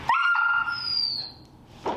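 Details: Finnegan, a very vocal feral dog in a Chicago training class during his introduction to the e-collar, gives a sharp, steady high-pitched whine lasting about a second, then trails off into quiet room noise with a soft thump at the end.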